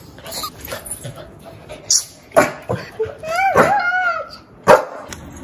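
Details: Female Shih Tzu, one year old, barking angrily. A few scattered sharp barks frame a drawn-out, wavering whining yelp in the middle, followed by one final bark.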